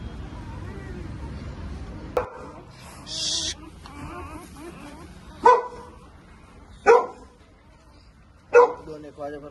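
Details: Newborn Labrador Retriever puppies just after delivery at a kennel in Sinnar, Nashik, Maharashtra, India: three short, squeaky, harmonic cries a second or so apart near the end, with a man speaking Marathi and a brief hiss earlier.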